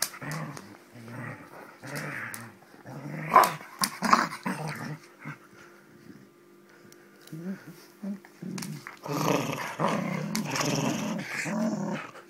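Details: Springer Spaniel at play fighting, growling in short rumbling bursts with pauses and a few sharp yips, then a louder, denser stretch of growls toward the end.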